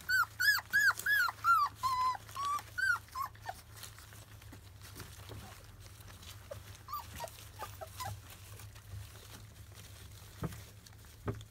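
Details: Twenty-five-day-old Labrador Retriever puppies of a field line, having their first weaning food, give a quick series of bright, arching whimpers for about three seconds, followed by faint, occasional squeaks against a quiet indoor background.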